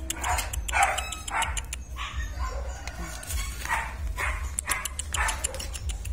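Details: Young German Shepherds, litter descended from IVanka and MoRoc, barking in their training yard: a run of short, sharp yaps spaced roughly half a second to a second apart, with a constant low rumble underneath.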